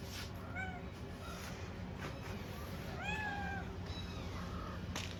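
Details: Stray kittens at feeding time giving several thin, high mews, one longer wavering cry near three seconds, with softer falling mews around it and a steady low hum in the background.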